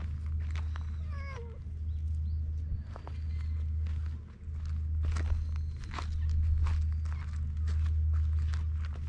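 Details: Stray cats at an evening gathering, recorded with a GoPro HERO8: one short, harmonic meow that falls in pitch near the start, followed by rustling, clicking steps and a steady low hum throughout.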